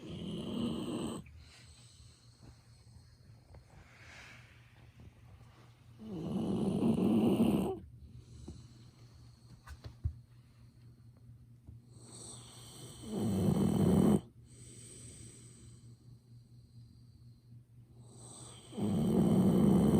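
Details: Golden Retriever Ibuki sleeps deeply and snores loudly, the noise carrying while someone works nearby, recorded on a smartphone held close. Heavy snores come roughly every six seconds, each a drawn-out grating rumble, with quiet breathing between.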